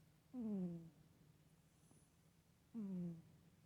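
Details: Asleep indoors, Soxy the cat hums in her sleep. Two steady, low, slightly descending hums about half a second long, separated by roughly two and a half seconds of quiet room drone.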